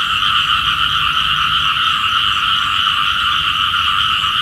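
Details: Morning chorus of small frogs, believed to call for rain, with a steady wall of fast, rattling croaks in two pitched bands, many animals overlapping without break.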